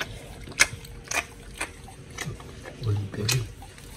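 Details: Raw-fed pit bull chewing giant white snapper indoors, with sharp crunchy bites spaced about half a second apart, then low wet slurping and lip-smacking sounds toward the end, faint constant hum.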